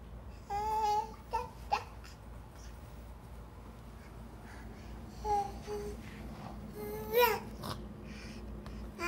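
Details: Odd vocal play from a male fox crawling about, filmed 31 July 2017: scattered short whiny squeals and yelps separated by quiet gaps, with clicks, rustling and a constant low-pitched hum throughout.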